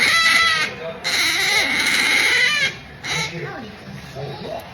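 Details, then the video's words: Melonpan the otter, pampered and drifting off to sleep, gives two strong, drawn-out, high harmonic squeals followed by a shorter cry and softer murmuring sounds. "Otter Melonpan makes pampering noises, drifting off to sleep"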